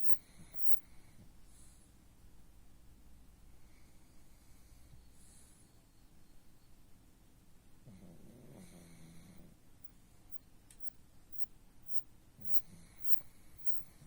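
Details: Sleeping pug giving a drawn-out, throaty snore with a wavering rasp around eight to nine seconds and a brief snort near twelve seconds, set against constant low-pitched background noise and occasional faint high tones.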